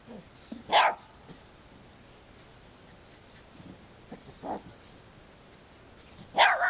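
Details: One of two pet dogs barking at a red-eared slider turtle to get its attention while running circles around it; three separate barks spaced several seconds apart, the last loudest, with a quiet room between.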